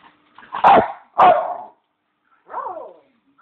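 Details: Bichon house dog asking for his beloved bone: two harsh, yelping barks in quick succession, followed after a pause by a softer, whiny, falling yelp.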